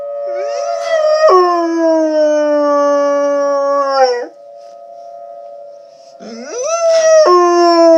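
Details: Dog howling with tornado sirens in the background; a rising whine leads into a long steady howl that drops at its end, a pause filled only by the siren's constant tone, then another rising howl.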